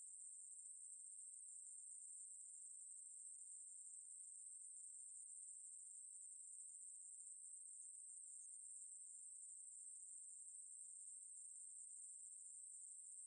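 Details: Ruspolia katydid, called maeburi in Korean, from a 2020 National Institute of Biological Resources recording: an unbroken, very high, steady buzzing drone that holds the same pitch throughout, with no pauses and no other sounds.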